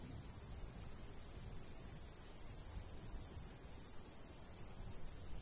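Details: Crickets in a golden wheat field in the summer countryside, with a light breeze: short high chirps repeated about three times a second in an uneven rhythm over a low rushing wind.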